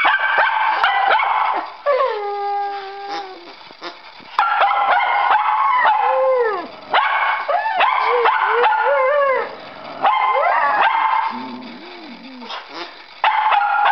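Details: Dog barking for a ball while a second dog whines, restrained from joining play; long run of howl-like whines that bend and fall, mixed with quick yips in repeated bursts roughly every two seconds.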